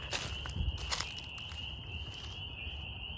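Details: At night, a dense chorus of spring peepers, possibly mixed with a few chorus frogs, merges into a steady, shrill, high-pitched ringing; these inch-and-a-half frogs can reach 90 decibels; Spring peeper.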